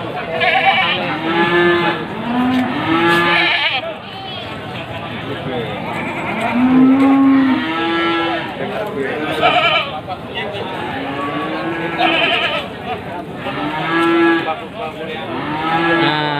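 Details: Crowded Wage market in Panggul, Trenggalek, 18 May 2020: male Etawa and Jawa Randu goats ready for Qurban give many quavering, overlapping bleats of a second or so each, over constant human voices and bustle.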